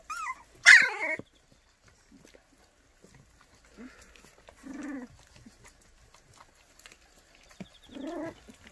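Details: White puppies for adoption in Cheongdo, Korea: a sharp high yelp near the start, followed by softer low whines and grumbles spaced a few seconds apart in an otherwise quiet setting.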